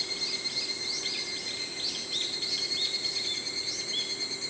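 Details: An evening cicada (Tanna japonensis, higurashi), which sings in early morning and evening, gives quick, high, repeated chirping notes over a steady insect drone; a high-pitched cry in the recording is a brown-eared bulbul.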